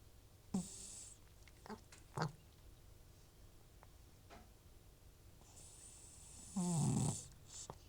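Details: Butcher, an elderly rescued cat with FIV and recurring runny nose and sneezing, sleeping indoors. A few irregular breathy snores, ending in one loud, rough, drawn-out snore with a hissing edge, against a quiet room hum.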